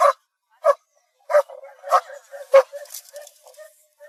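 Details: German Shepherd dog barking: five sharp, clipped barks about two-thirds of a second apart, then softer short whines and yips trailing off, with a faint hiss between calls.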